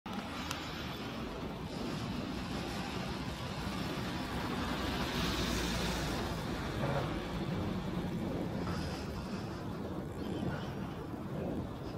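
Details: Steady traffic or vehicle roar fills the recording with broad hiss, and no animal calls can be heard.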